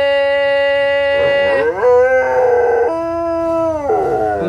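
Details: A dog trained to sing as a young puppy, tested again four years later, howls in long, sustained tones that step up and down in pitch like a sung melody. Dog.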